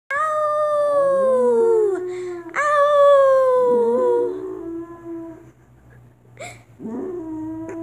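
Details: Dog howling indoors: long drawn-out tones that start high and slide slowly downward, two main howls lasting about two seconds each, then a quieter wavering tail with faint yips; steady low hum underneath.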